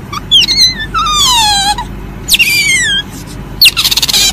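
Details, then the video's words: Asian palm civet, known locally as musang, giving high, harmonic squealing calls that sweep downward, one long slide then a sharper cry, ending in a quick rapid-pulsed burst; steady low background hum throughout. "SUARA MUSANG"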